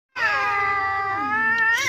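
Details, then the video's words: Angry domestic village cat yowling at an outside cat that has come to the house: one loud, sustained harmonic wail, steady then rising at the end, with a woman's voice following. "Kucing Ngamuk" Kiki marah kalau ada kucing luar datang🙀 Meraung keras banget"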